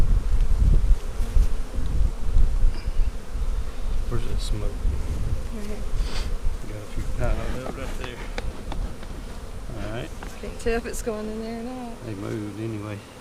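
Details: At an inspection of a March 4 split on April 15, 2017, honey bees fly close at the end. Wavering hums rise and dip in pitch over a rumbly, gusty start full of handling noise.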